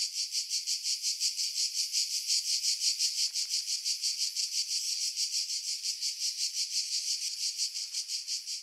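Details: Cicada chorus from pines above Pefkos Bay on Skiros, Greece, in July 2018: a shrill, steady buzzing throb repeating about three times per second. Recorded with a Sony RX3 and external microphone, heavily filtered to remove wind buffeting.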